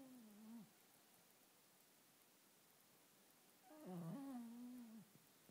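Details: Schipperke dog asleep indoors, maybe dreaming, makes two whimpering whines: a short one trailing downward, then a longer one with a catch and wobble before fading. A quiet room surrounds them.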